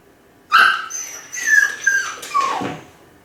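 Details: Kai Ken named Ichi, alone at home and howling from a high spot, lonely and seemingly calling the family back: high wavering tonal cries with rich overtones, rising and sliding down in three joined phrases across about two and a half seconds, indoors.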